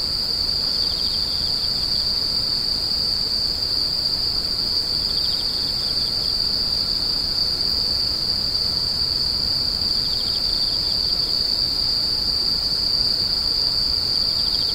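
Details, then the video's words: Unvarying shrill insect chorus sustained for the whole stretch, with faint repeated chirp pulses at intervals under the main high tone. "The sound of insects crying"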